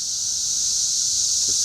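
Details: Cicadas massed up and down the trees at Schroeder Park in Ballwin, Missouri, giving a steady, high, hissing drone with no breaks; a faint low voice murmurs near the end.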